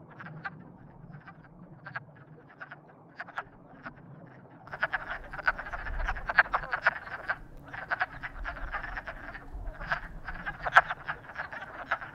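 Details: Courting frogs, sparse croaks at first, then from about five seconds a dense burst of rapid clicking croaks with low rumble beneath.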